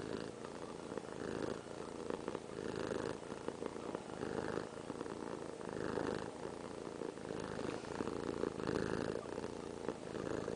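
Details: Piper the house cat purring loudly in her owner's arms; a dense, even rumbling purr rising and falling in regular breath-length waves throughout, fairly close and clear.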